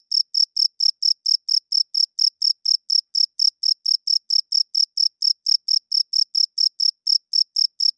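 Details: Crickets chirping loudly at night, males calling to attract females and establish territory; high, bright pulses repeated steadily, about two per second, with no other sounds.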